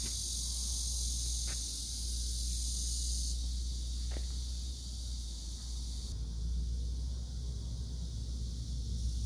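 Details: A cicada buzz forms a continuous high hiss that shifts in intensity twice, over a strong low rumble with a few faint clicks.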